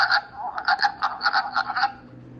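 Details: Wood frog calling in spring, its call deeper and lower than a spring peeper's and said to resemble a duck: rapid, hoarse clucking bursts in irregular clusters of two or three, repeated across the recording.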